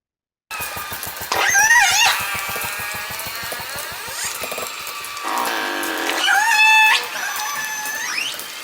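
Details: Northern Resident killer whales of R clan, a single-pod acoustic clan whose calls differ completely from other clans, give creaky, squealing pulsed calls that rise and bend like a creaking door.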